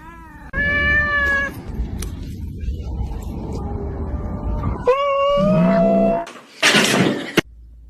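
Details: Domestic cat giving two drawn-out, tonal meows, the first short and level, the second longer and gliding slightly upward, with bursts of household noise and clatter in between.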